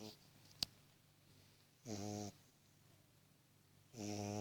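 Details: Sleeping beagle puppy named Cooper gives two drawn-out, throaty snores about two seconds apart, each a steady buzzing rasp, after a single sharp click near the start against a quiet room.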